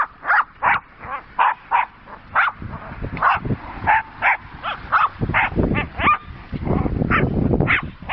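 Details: Two Jack Russell Terrier sisters playing with a horse boredom-breaker toy, giving rapid, sharp, high barks and yips in bursts about every half second, over clattering and rustling play noises.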